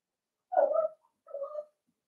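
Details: Cavalier King Charles Spaniel puppy at play inside a home pen, making two drawn-out, wavering, moaning whines, the first louder and longer, the second softer after a short gap.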